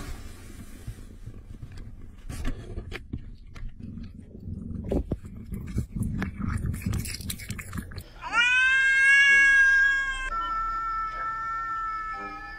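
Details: Cat sounds: several seconds of chewing and clattering noise, then one long, loud, high drawn-out meow that holds steady before dropping to a softer, lower tail.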